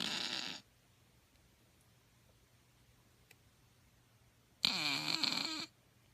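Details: Sleeping Shih Tzu puppy snoring. One wheezy, whistled breath fades out at the start, and after a long quiet gap a louder, rasping snore with a squeaky nasal tone lasts about a second.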